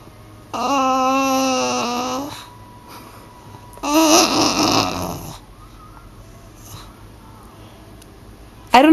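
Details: Phoebe the bulldog indoors, upset and demanding laser pointer play: a drawn-out, wavering harmonic moan lasting nearly two seconds, then a rougher, noisier groaning wail after a short pause, with quiet room tone between.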